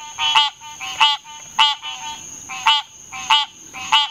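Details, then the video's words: Hyla cinerea, the green treefrog, calling with short, twangy, nasal quonks repeated about every half to two-thirds of a second, some notes paired closely; clean recording with little background noise. "Green Tree Frog call"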